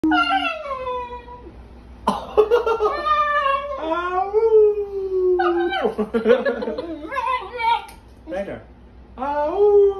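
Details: Upset Basenji screeching while being provoked by a person indoors: loud, wavering, yodel-like wails that rise and bend in pitch, several drawn-out cries separated by short pauses, with some human voices mixed in.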